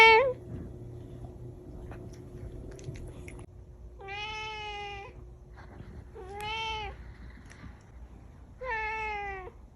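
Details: Domestic kitten, Cash, meowing indoors: one short rising mew opens, then three drawn-out harmonic meows about two and a half seconds apart, each bending upward and falling again, over a faint steady hum.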